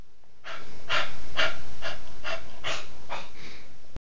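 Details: A cocker spaniel snorts and sneezes in a rapid run of about eight breathy bursts, roughly one every half second, before the sound cuts off abruptly.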